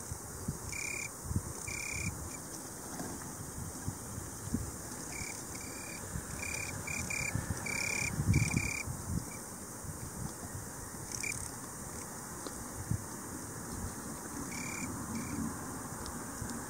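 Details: An Italian tree cricket (Oecanthus pellucens) sings soft, pure-toned trills in short bursts, with low wind rumble beneath.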